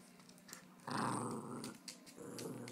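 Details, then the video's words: A 15-month-old female Jack Russell Terrier growls while wanting to play rope indoors; one sustained rough, low growl lasting under two seconds, with faint room sounds before and after. "Jack Russell play rope?"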